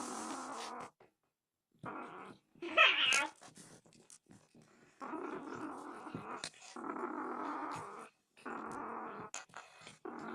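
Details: Donskoy (Don Sphynx) cat described as furious and a thief. Sustained rough growling in several long blocks separated by short pauses, with one brief higher yowling squeal near the start.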